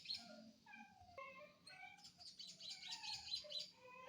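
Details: Village dog (anjing kampung) from Indonesia, 18 November 2022: a string of short, wavering whimpers, some dipping and some rising, over steady high hissing noise.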